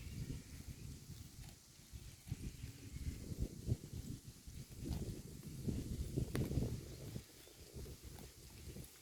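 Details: Herd of cows eating grass: bursts of low rustling, crunching and ripping as grass is torn and chewed, coming in uneven waves with brief quieter gaps.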